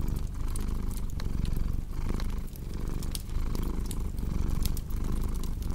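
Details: Domestic cat purring in a steady low rumble that swells and fades with each breath, roughly every second. Sharp crackling pops from a fireplace scatter over it.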